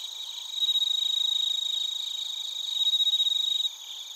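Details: Bell crickets and other crickets in Narita, Chiba, Japan, recorded on a TASCAM Portacapture X8: a loud, high, bell-like pulsed trill, with bursts of sharp rapid beats about four a second, fading abruptly near the end.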